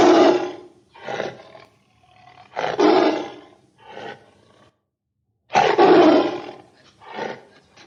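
A tiger gives deep, harsh roars in short bursts, several in a row with brief pauses between.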